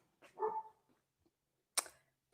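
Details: Standard poodle barking indoors upstairs after someone rang the doorbell; a single muffled, distant bark with a tonal, harmonic ring lasting about half a second, then quiet, ending with one sharp click nearby.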